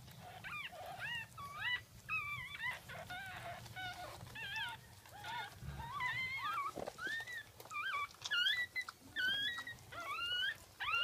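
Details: Jack Russell Terrier litter at a birth, second offspring, recorded 10/17/2014 at 5:35 am: high, wavering squeaks and whines that rise and fall in short bursts, several overlapping, over a low steady hum.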